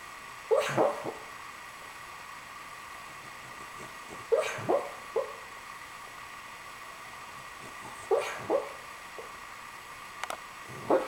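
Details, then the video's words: Riley the Cavalier King Charles Spaniel, asleep and dreaming, gives clusters of two or three sharp, muffled yips that recur roughly every four seconds, with soft whimpering between them in a quiet room. "snoring cavalier king charles spaniel"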